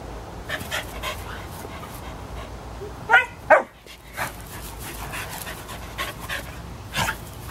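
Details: American Eskimo Dog Kayu, three and a half years old, and German Shepherd puppy Cooper, three months old, at play as Kayu runs circles around the pup; two sharp harmonic yelps in close succession amid steady rhythmic panting bursts.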